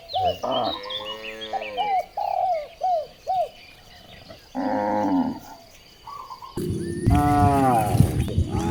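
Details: Cows lowing while being herded through village streets in the morning: deep, drawn-out harmonic moos, the last one loud and rising, mixed with repeated short arched calls from another animal.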